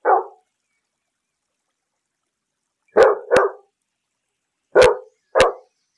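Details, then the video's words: Barking domestic dog, breed unspecified, one of several popular breeds: a single bark, a pause of nearly three seconds, then two quick pairs of sharp barks, with no other sounds. "5 dogs barking sounds. Most popular dog breeds barking."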